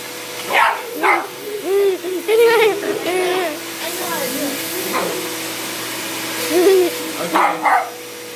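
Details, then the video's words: Dog reacting to a running vacuum with sharp barks at the start and end, and a stretch of wavering whine-like or voice-like sounds between, all over the machine's steady drone. "My dog is barking at the vacuum"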